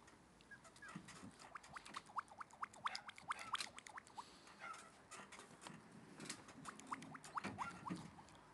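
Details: A male red Shiba Inu puppy, born 22 November 2011 and recorded 30 December 2011 at about five weeks old, gives short, high, rising squeaks and whimpers over a light pattering background.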